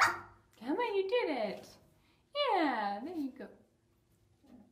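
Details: Puppy giving two drawn-out, yelping whines about a second apart, each sliding up and then down in pitch, followed by a short fainter call and then quiet.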